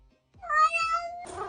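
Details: A pet cat gives a single drawn-out meow lasting under a second, a clear tonal cry held steady then easing down, with a person talking to it just before and a voice cutting in right after.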